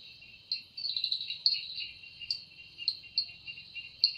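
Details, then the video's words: Forest cicada at evening, its wings said to make the sound: a high, continuous buzz punctuated by crisp pulsing accents, with fainter broken chirps beneath. "Woundering voice of Cicada"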